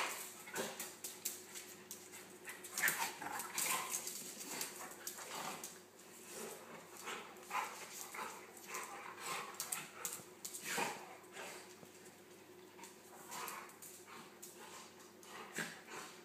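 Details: Playful tussle between Nelson the golden retriever and Buster the Pomeranian poodle, with Buster nipping Nelson's ears from underneath; long run of dense, irregular growly bursts, snorts and yips, busiest early and again near the middle.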